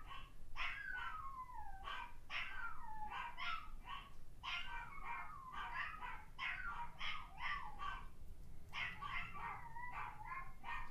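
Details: A Toy Fox Terrier reacts to barking dogs on YouTube with a run of high, whiny yips and barks that slide up and down in pitch.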